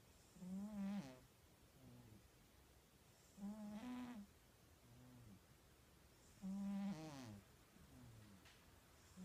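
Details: Cat snoring steadily, loud rasping harmonic snores repeating about every three seconds, each followed by a softer, lower exhaling rumble; regular sleep breathing with little other sound.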